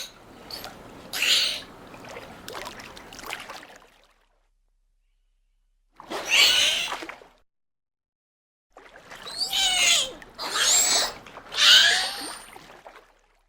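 Dolphin cries: high, squealing whistles that sweep up and down in separate bursts, with wave wash behind.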